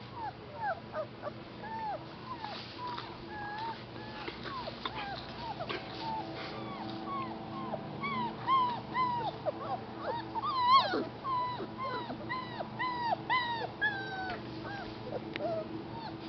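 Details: Several rescue puppies kept with their mother at an animal rescue whimper and squeal continuously, many short high falling cries overlapping in a busy chorus that peaks midway, over a low steady background hum.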